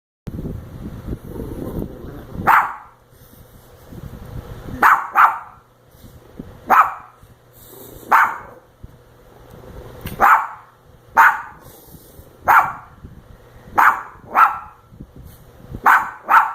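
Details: Lilly, a pet dog, barking at a sleeping, lightly snoring person: about eleven sharp, short barks spaced one to two seconds apart after a quieter low rumbling opening, each bark a bright burst.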